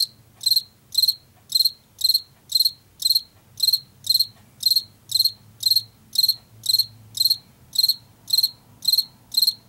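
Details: Field cricket from Washington, a late summer and fall singer, giving steady high, shrill chirps about twice per second, each a short pulsed burst, with a faint low hum underneath.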